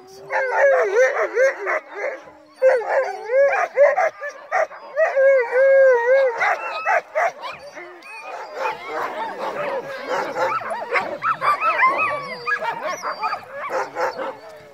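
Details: Team of crossbred husky mix sled dogs on a snowy night run; several dogs yelp and howl together, wavering cries early on giving way to denser, choppier yips and barks, with a faint grinding of the sled brake.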